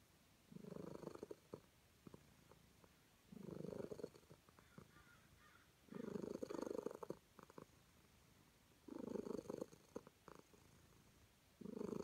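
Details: Purring from a calico cat content under petting, five low vibrating bursts spaced about three seconds apart, each lasting around a second, quiet gaps between them and small ticking sounds.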